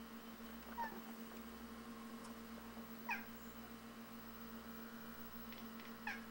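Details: Feral cats behind a front window, reacting to a robin outside in their yard: brief chirping chatters spaced a couple of seconds apart, a few short rising squeaks, over steady indoor hum.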